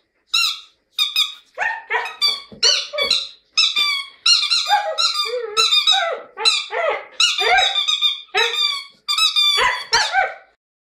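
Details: Female Siberian Husky called Jasmine singing in a lyrical mood: roughly fourteen short, high, harmonic yodelling whines and squeaky howls in quick succession, each bending up or down, with brief gaps between bursts and no other sounds.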